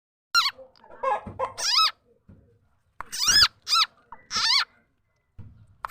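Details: Frog known locally as khiat chana or khiat mo, its call used as a lure for catching birds, chickens and other fowl; loud harmonic squeaky calls that bend up and down in pitch, given in short bursts with clicks and gaps of silence.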